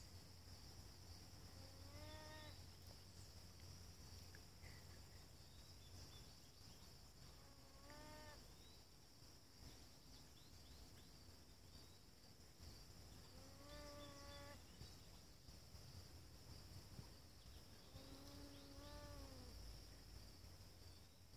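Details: North American beaver at Wachusett Reservoir, Massachusetts, USA, on August 20, 2018, calling out for its missing companion after a warning tail slap. Four drawn-out, whiny, wavering calls rich in overtones come roughly every five to six seconds over a steady high insect drone.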